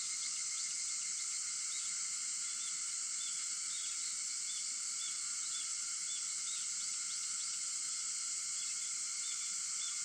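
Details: At 4:50 in the morning on 4 August, cicadas keep up an intense unbroken high drone, with scattered short chirps rising through it.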